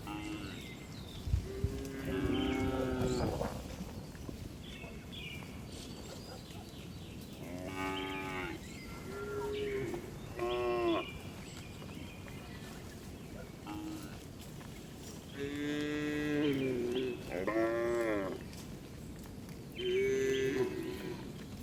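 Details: Tame village cows being herded back to the barn in the afternoon; several cows moo in turn, long harmonic calls with pauses of a few seconds between them, over a constant rural background hiss.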